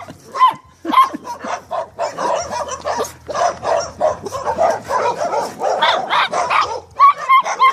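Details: Several Staffordshire Terriers give choppy, overlapping barks and yelps, with a few thin, tonal yips standing out near the start and again at the close of the roughly eight-second stretch.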